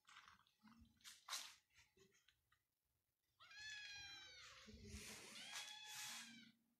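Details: Persian cat at a Pakistani cattery, letting out a long, wavering meow lasting about three seconds after scattered clicks and rustling, with splashing, water-like noise underneath.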